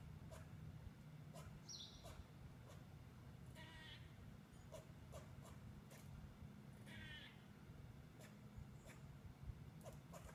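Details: Squirrel calling in alarm at a nearby cat it sees as a potential predator: two drawn-out, buzzy, wavering calls falling slightly in pitch, with a faint high chirp and scattered clicks over low rumbling noise.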